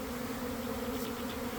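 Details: Swarming honey bees drawn toward a swarm pheromone lure by a beekeeper's empty hive in a garden, early afternoon; a dense, even buzzing drone with two steady tones, one low and one an octave higher, unbroken throughout.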